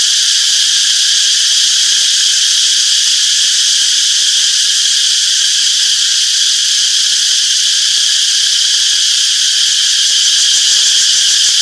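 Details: Cicadas in a summer forest drone in a dense, steady, high-pitched buzzing chorus that never lets up.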